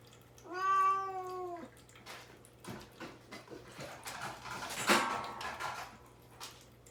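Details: Pet cat Mamedaifuku, caged and fasting before neutering, meows to be let out while mother cat Himawari waits worried beside the cage: one drawn-out, harmonic-rich meow lasting about a second, then quiet indoor shuffling and a brief thump.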